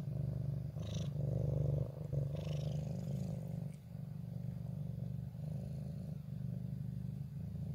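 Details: Purring ginger cat filmed on 14 January 2023 in its favourite corner, still cautious toward the person but keen on the camera; deep, even rumbling pulses, strongest in the first three seconds, briefly dipping near four seconds.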